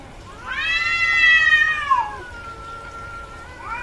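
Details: Female domestic cat in heat: one strong, bright, harmonic meow that holds steady, then falls away into a thinner, lower drawn-out tone. A new call starts at the very end.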